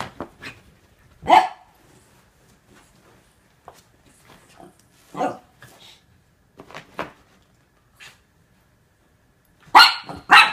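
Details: Norfolk Terriers wrestling indoors as Otto and a housemate keep young Ernie under control: scattered sharp barks, a few single yaps spaced irregularly, then a louder double burst of barking at the end with quiet gaps between.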